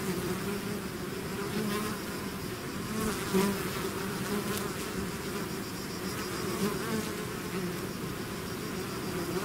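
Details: A bee swarm leaving its hive fills the air with constant low buzzing, a few nearby bees passing with short louder whirs around the middle.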